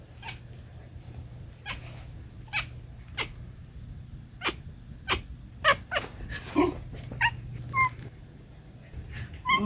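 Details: Talking domestic cat chattering: a run of short, sharp clicking chirps spaced about half a second apart, with a few brighter, tonal chirps clustered near the end, over a steady low indoor hum.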